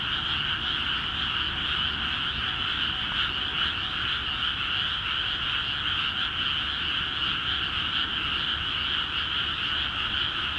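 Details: Frogs calling heavily from water-filled rice paddies in Akiha Ward, Japan, forming a constant, even chorus of many rattling croaks that rise and fall gently in loudness throughout, with nothing else audible above it.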